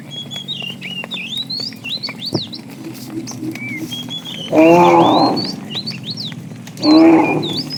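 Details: Roadside herd of tame cows wandering for food; constant chirping birds and a faint low hum precede two short, bright lowing calls near the end, spaced about two seconds apart.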